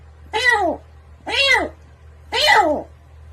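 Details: House cat giving three drawn-out meows, each rising then falling in a smooth arc, spaced about one second apart, over a faint steady low hum indoors.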